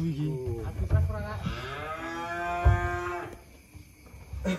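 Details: Giant cattle being unloaded from a truck in 2025: one long, low, drawn-out moo of nearly two seconds, steady and then sagging slightly at the end, with handling thumps and voices around it.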